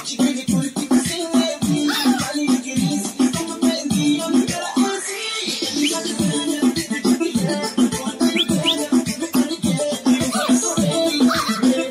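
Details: Lively electronic music with rattling percussion, scratching effects and a rising sweep, with no animal sound.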